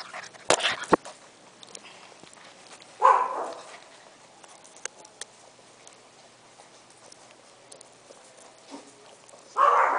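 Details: Young Golden Retriever pup, aged six weeks five days, letting out a single raspy bark, then a pause of several seconds with faint clatter before a second loud bark closes the recording.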